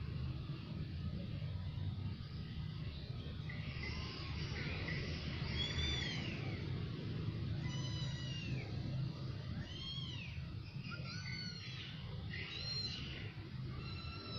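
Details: A new family of cats calling: after a quiet start, a run of high, arched meows, several close together and overlapping, repeating every second or so through the second half, over a steady low rumbling hum.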